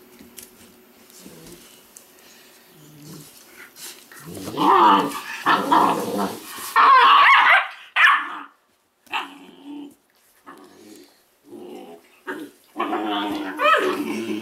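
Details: A litter of Weimaraner puppies bred from Indigo and Magnum, giving rough growling barks and harsh, noisy yelps that come in loud bursts between quiet pauses, with some speech mixed in.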